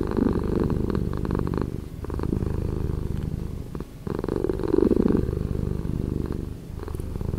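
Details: Cat's purr played back slower than life: a continuous low vibrating drone with louder, rougher stretches broken by quieter breathing pauses near two and four seconds.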